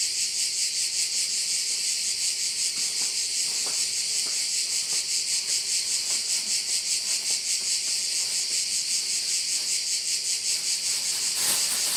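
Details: Crickets at a bay in Korčula, Croatia, forming a dense, high, shimmering chorus that pulses about two and a half times per second without a break, with faint low knocks underneath.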